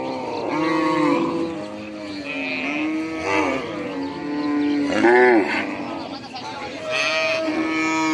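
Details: Several cattle moo in overlapping succession: long, tonal bellows swell and bend in pitch around 1, 3.3, 5.2 and 7 seconds, nearly continuous throughout.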